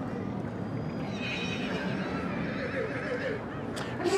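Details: Welsh Cob fillies at a show: a faint whinny with stacked harmonics rises briefly above steady crowd murmur and applause, and a sharp clatter comes near the end.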